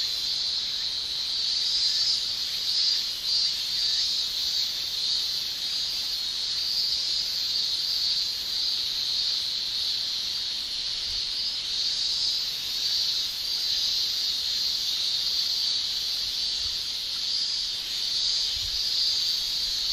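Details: Male cicadas shrilling in a Japanese summer, their song made by the tymbal: a dense, unbroken high hiss that holds steady for the whole stretch, with faint slow swells and no other clear sounds.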